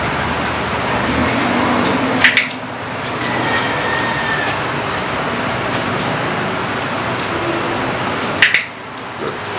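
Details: Steady roadside-like rumble and hiss, broken by two sharp double clicks near the start and end, with a faint tonal hum in between.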